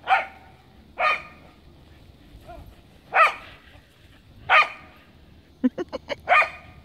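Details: Cardigan Welsh Corgi Kaya playing in the snow gives barks about every second or so, five strong ones, followed by a quick run of short yips before a final bark.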